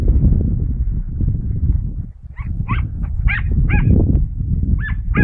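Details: Mota, a dachshund (teckel), going after rabbits outdoors on 22 August 2012: after two seconds of heavy low rumbling, a run of about seven sharp, high, yelping barks comes in quick succession over continuous wind or handling noise.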